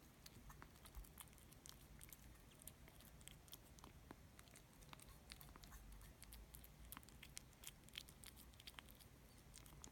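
Kittens eating, with soft, rapid clicks and crunches of chewing over a low indoor rumble.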